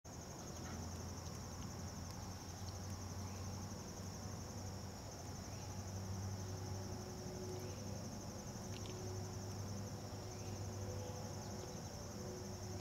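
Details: A dog-day cicada (Tibicen canicularis, identity confirmed) gives a steady, high, pulsing buzz over a low background rumble, recorded close up at Turtle River State Park, North Dakota, on 16 August 2011.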